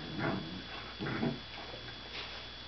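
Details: Puppy scuffling with a dog named Gypsy indoors; two short low growling bursts about a second apart, then a fainter third, over steady background hum.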